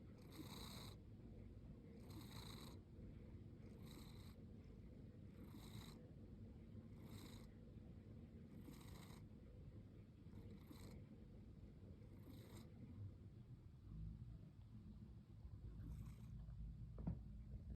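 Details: Lily, a year-old pet cat that sleeps with her eyes slightly open, snores in a steady run of breathy rasps over a deep continuous rumble. The bursts come less evenly and fade out near the end.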